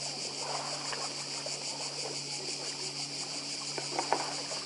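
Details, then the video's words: Cicadas calling by the sea on Badija island in Croatia: an unbroken, shimmering high-pitched drone with lapping waves beneath and a few soft knocks near the end. "Cykady i szum morza w Chorwacji"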